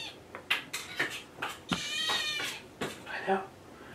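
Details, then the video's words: Indoors in the morning, kittens ask for food with short, high meows mixed with a person's speech and brief clatters in a small room. "Meowning Kitten Choir"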